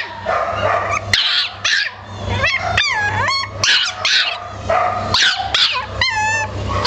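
A Boston Terrier gives high, sharp yips mixed with thin, wavering whines over a low steady hum.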